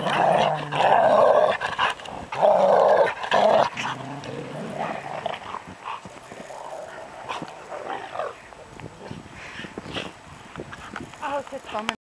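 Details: Rottweiler producing two strong, harsh growling bursts early on, then quieter scuffling and short rasping sounds through the rest.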